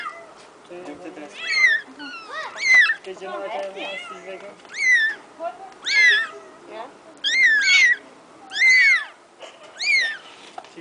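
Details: Domestic cat, a mother coming to rescue her kittens: repeated high meows, each bending up then down, about one per second, some short and some drawn out, with a faint low background murmur.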